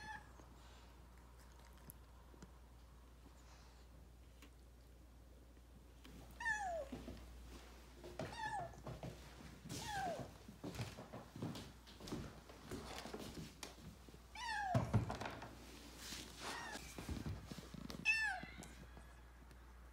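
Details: Rescued kitten, taken in urgently after nearly being hit by a car, giving a few high falling meows after several seconds of quiet indoor room hum, mixed with thumps and handling noises.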